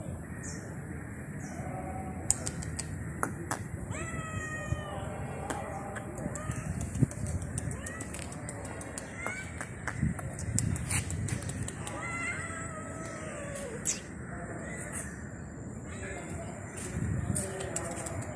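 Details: Stray cat found on the street meowing toward a person: scattered, somewhat faint wavering meows separated by long pauses, over steady low background noise and occasional clicks.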